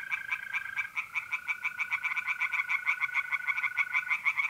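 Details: Pond-dwelling tree frogs call through a mid-April night in North-East Italy, a fast train of raspy, evenly pulsed notes rattling on without pause, while the smooth, sustained trill of mole crickets hums underneath during the first seconds.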